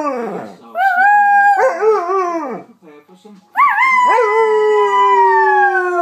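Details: Pet female Alaskan Malamute singing along with a girl at home. Drawn-out harmonic howls rise, hold, then waver and slide downward. A person speaks words of praise between them, and the dog's voice blends with the girl's singing.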